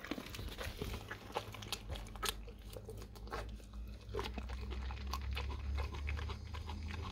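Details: Raw cow tongue chewed by a dog: rapid, uneven crunches and tearing bites close up in a small room, over a constant low-frequency hum.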